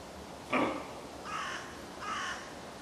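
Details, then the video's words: Doe about ten metres away, barking after camera beeps betrayed the recordist's presence: three hoarse, harsh barks less than a second apart, the first loudest and sharpest, the next two softer and drawn out, over steady rushing background noise. "biche qui aboie"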